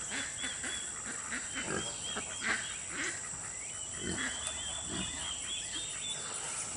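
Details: Two-week-old Kunekune piglets on a farm give short, soft grunts in scattered bursts, with a few louder ones near the middle. A steady high hiss and faint thin tonal calls sit in the background.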